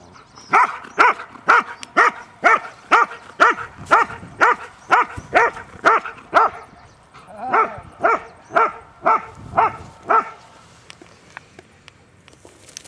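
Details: New Zealand Huntaways, the family's own noisy dogs, out on a Sunday walk: loud, even barks roughly every half second for about ten seconds, then a quieter stretch with faint rustling.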